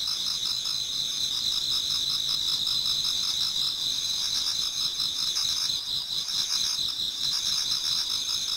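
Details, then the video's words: Autumn insects in a Japanese garden at first light: many voices blend into a constant bright whine, with fast rhythmic trilling pulses underneath and a brief dip in the pulsing near the end. "Autumn Insects voice Towards dawn"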